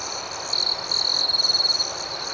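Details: Crickets at night in a calm outdoor setting, a bright high trill holding steady with louder pulsing bursts from about half a second on, a fainter shimmering layer of chirps above, no other sounds.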